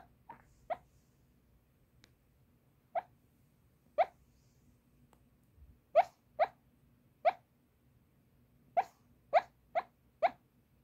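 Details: Toy Poodle talking loudly in its sleep, voicing from the belly while dreaming; short muffled yips and grunts, about a dozen brief bursts in irregular groups, quiet room between.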